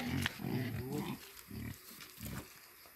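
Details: Wild boar being fed, giving a run of low, throaty grunts in short bursts, a dense cluster in the first second followed by two separate grunts, against a rough background hiss.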